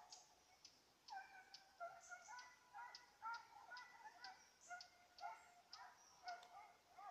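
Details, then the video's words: Petit Basset Griffon Vendéen chasing a rabbit, 05/10/2014: distant, high-pitched yelping bays in quick uneven series, roughly two per second, with several voices overlapping at times and faint ticking in the background. "petit basset griffon vendeen tras conejo"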